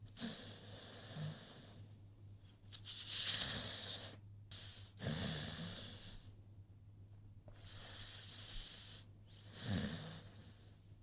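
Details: Rocky, an American Pit Bull Terrier, snores while asleep: breathy hissing exhalations with low rumbling catches come in separate bursts, with quiet pauses of a second or more between breaths.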